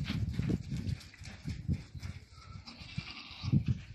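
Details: Salali goat bleating in a run of short, low, throaty bursts, about half a dozen over four seconds, with faint higher chatter in the background.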